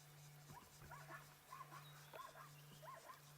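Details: Zebra call far off in the distance during an afternoon safari drive on 28 October 2016, giving a series of high, yelping barks in quick succession over a low engine hum.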